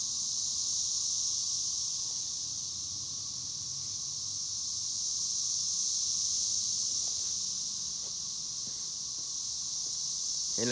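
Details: Cicadas, called chicharras or cigarras, hold a piercing continuous buzz that swells and eases slightly in loudness; a few faint clicks and a short knock near the end interrupt.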